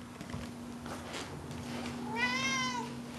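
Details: Indoor pet cat Pancake, being petted and talked to, gives one short harmonic meow near the end, falling in pitch, after rustling and soft handling noises; faint room hum throughout.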